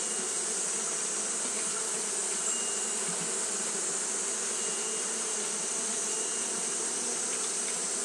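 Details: Japanese honey bees fanning nonstop in hot weather produce a constant, level buzzing drone, layered under a loud, unchanging high-pitched hiss.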